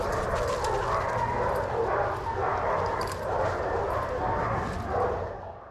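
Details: Shelter dogs playing and running together at a daycare, several dogs barking and yipping in a steady overlapping stream through a noisy, reverberant room.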